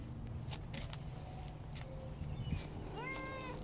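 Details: Domestic cat, an adopted outdoor former stray in Danville, California, meowing because it wants to go outside; a short rising-falling meow comes near the end, with a man's voice calling it and steady low background hum.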